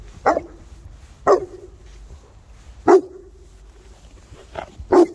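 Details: Boerboels playing, three South African mastiffs: five sharp barks at irregular intervals of about one to one and a half seconds, each a short bright burst trailing into a lower tone.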